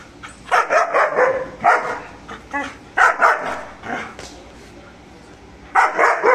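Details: Mr. Bro, a German Shepherd, barking aggressively while guarding; loud harsh barks come in short clusters of two or three, with quiet gaps between bursts and a final burst near the end.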